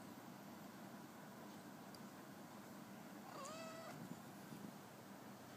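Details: Week-old black kitten napping: a single short, thin mew rises and then bends down midway through, standing out against a steady low background hiss with no other clear sounds.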